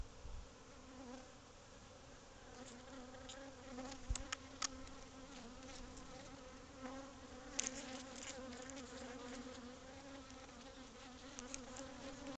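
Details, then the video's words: Swarm of bees around a hive inside a covered patio void, growing agitated; faint steady hum with clear harmonic bands, scattered clicks and crackles above. "Bee Hive In Your House"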